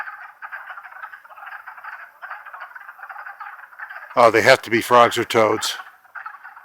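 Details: Longkill Woods in April 2014, wood frogs in spring chorus: overlapping clucking croaks run steadily, interrupted past the four-second mark by a loud stretch of human speech before the frogs resume.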